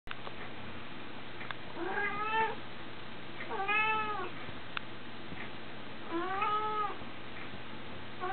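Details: A little red male pet cat meowing three times, each meow a drawn-out, harmonic-rich cry that rises then falls, spaced a couple of seconds apart, with a low steady hum and occasional soft clicks behind.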